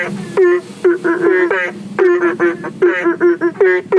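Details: Belentung frogs calling at night from a fish pond and aviary pond near a public road, believed to call for rain, give short, nasal, honking notes in quick bursts, several overlapping in a lively chorus; passing vehicles possible.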